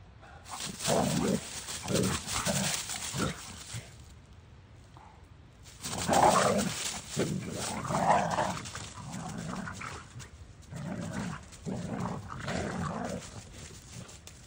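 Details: Kai the Doberman and Maddie, a boxer/bulldog mix, burning off energy in play: bursts of low rough growling and scuffling grunts, with a quiet pause midway before the tussle resumes.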